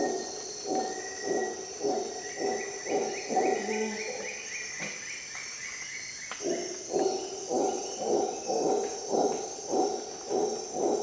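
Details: In a Costa Rica rainforest at dawn, a howler monkey gives bursts of hoarse rhythmic pulses, pauses for about two seconds, then resumes the steady series. Continuous high insect hum and scattered bird whistles fill the background.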